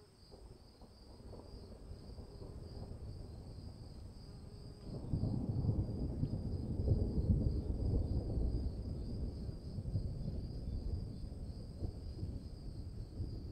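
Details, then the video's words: Cricket chorus in the rain, a sustained high ringing trill with a higher overtone, while a deep thunder-like rumble swells in about a third of the way through and stays loud. "1 hour of cricket sounds in the rain"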